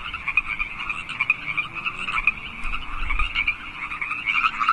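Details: A dense chorus of wild frogs in California Park at 8 PM on 15 March 2014 gives overlapping trilled croaks, steady and continuous.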